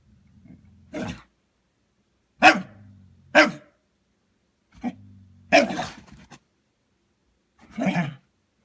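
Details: A dog trying to get another dog to play, giving short bursts of yelpy, grumbling noises, six separate vocalizations spaced irregularly about one to two seconds apart, some with low growly undertones.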